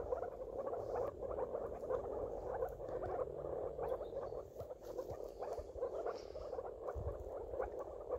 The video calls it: Moor frog (Rana arvalis)